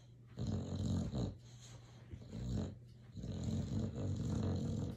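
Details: Sleeping Boxer, dreaming, gives long rough snores with a faint growling edge, three drawn-out breaths in five seconds over a constant low background hum.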